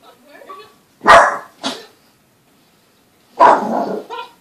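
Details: Boston Terrier puppy, usually calm, barking at the TV indoors: two sharp loud barks close together, a pause, then a longer harsh bark, with faint TV voices and a woman speaking softly underneath.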